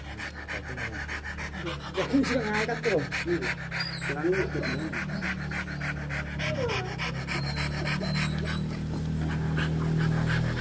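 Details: Rottweiler dog in the mating process, breathing in steady rapid pants throughout, roughly three per second, while people talk in Indonesian over the top.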